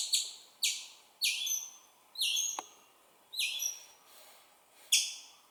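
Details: Baby squirrel calling for its mother, giving six loud, sharp chirps at uneven spacing, each a bright high note that trails off with a short falling tail; one faint click in between.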